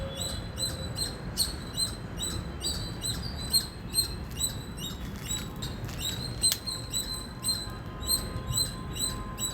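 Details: Loud chirping from an Indian squirrel, with rapid piercing chip notes repeated in quick, slightly uneven bursts of two or three per second. A low hum runs underneath and one sharp click stands out.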